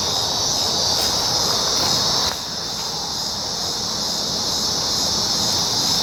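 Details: Cicadas recorded July 19, 2019, make a steady, loud, high-pitched buzzing drone that dominates throughout, easing slightly in strength after about two seconds, with faint low background rumble beneath.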